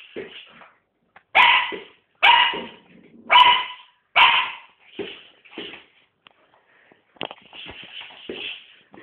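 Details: Sealyham Terrier barking in short sharp bursts, four loud yaps in quick succession followed by softer shorter ones and a quieter trailing series, with brief pauses of silence between.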